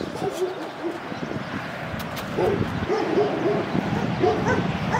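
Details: A Cane Corso barks in quick, choppy bursts over a constant noisy background hiss. The barks grow clearer and more frequent after the midpoint.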